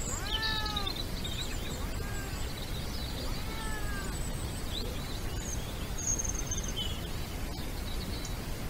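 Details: A European wildcat on the Iberian Peninsula gives drawn-out, arching meows during the mating season, with a low rumble behind.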